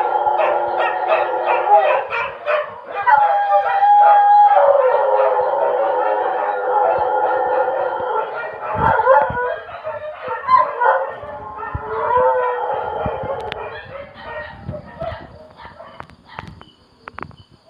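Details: Dogs howling at 2 a.m.: long wavering howls, some rising and bending in pitch, overlap in a loud chorus and then slowly fade toward the end.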